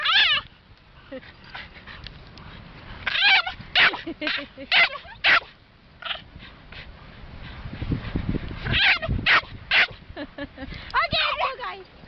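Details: Young puppy practising its bark: rapid bursts of shrill yips and squeaky barks in uneven clusters, about two per second, with a person's voice talking over it.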